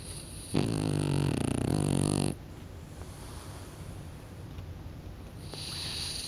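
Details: Kokubo, a French Bulldog, snores while drifting off to sleep: one long, rough, buzzy inhalation of nearly two seconds with a low rattling rumble, followed by near silence and a few faint clicks.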